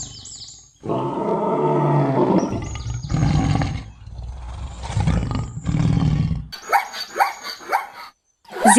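A lion gives three deep, rumbling roars, each lasting a second or more, followed by shorter, higher rising calls from another animal at the end.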